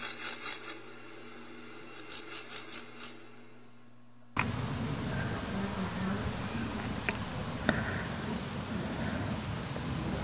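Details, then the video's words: Marsh grasshopper (Chorthippus montanus) chirping: two short bursts of rapid, dry, high-pitched rasping pulses about two seconds apart. The recording then cuts abruptly to steady low rumbling background noise with faint clicks. "Zirpender Sumpf-Grashüpfer"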